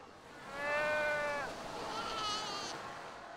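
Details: Newborn seal pup, unhappy, calling while its mother has not yet returned from hunting. Two drawn-out, bleating calls with rich harmonics. The first is level for about a second, then drops at the end. The second is shorter and higher.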